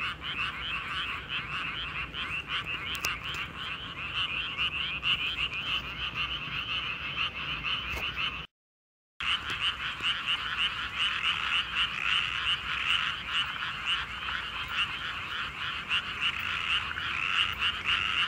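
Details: Many frogs calling together at night in a paddy field, a thick rattling chorus of fast repeated croaks that never pauses, briefly cut by a moment of total silence midway before resuming just as loud.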